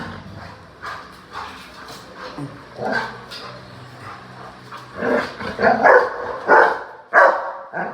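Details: A Rottweiler, excited about going out, gives short, rough barks and whining yelps that start sparse, then come in loud bursts roughly every half second over the last three seconds.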